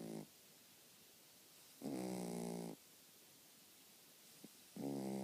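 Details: Pet dog asleep, snoring steadily: three loud, buzzy, rattling breaths of about a second each, separated by quiet pauses of nearly two seconds, in a small quiet room.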